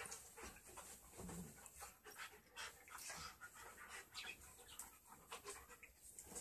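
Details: Australian Kelpie and German Shepherd mix dog panting close by: quick, breathy, rasping puffs repeated two to three times a second, soft throughout, with no other clear sounds.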